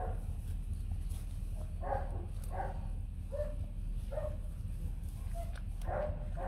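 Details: Bac Ha dogs, a white fluffy Vietnamese native breed: a mother and her three newborn puppies kept at a kennel. Short, squeaky whimpers come again and again, about seven in six seconds, over a steady low hum, with almost no speech.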